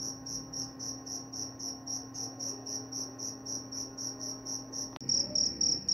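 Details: Cricket sound for sleep and for repelling mice: quick high chirps pulsing nearly four times a second over a low hum, interrupted by a sharp click before the chirping resumes louder.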